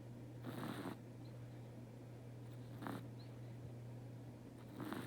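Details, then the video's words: Snoring of a sleeping domestic cat indoors: three drawn-out, raspy breathy swells about two seconds apart, faint against a steady low mains-like hum. "intently cat's snore"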